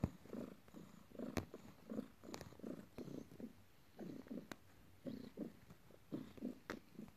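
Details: Morning, a pet cat, kneads its owner after work while purring; pulsing low rumble arrives in short bursts about twice a second, with a couple of sharp taps.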